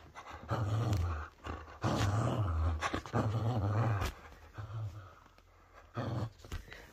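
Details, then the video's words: Low, throaty growls from a whippet in a tug-of-war game, four rough bursts at uneven intervals, the middle ones longest, followed by a quieter stretch and a final brief rumble. "TUG OF WAR WITH MY WHIPPET"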